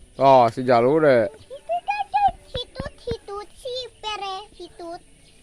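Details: Sheep being fed with a child, opening with a long, loud, trembling bleat, followed by a quick series of short, high chirping notes and small clicks.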